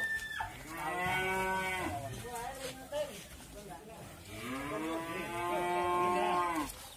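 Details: Wisanggeni, the raging sacrificial qurban bull of Irfan Hakim, gives two long drawn-out harmonic moos separated by a few seconds, with faint voices in between.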